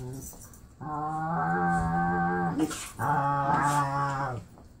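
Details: Marley, an adopted pit bull, playing indoors with his foster sister, who sounds like a Wookie: two long, drawn-out, tonal growl-moans, the first about two seconds and the second about a second and a half, with a brief scuffle between them.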